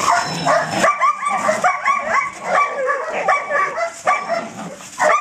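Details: Belgian Malinois puppy in an introduction to police protection training, first bite work: a fast series of high, harmonic yips and whiny barks, several per second, with a brief rougher growl-like start and faint voices behind.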